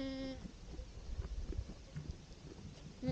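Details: Goat with its kids in spring, one short nasal bleat at the start and another near the end, separated by a quiet stretch of low rumbling background noise.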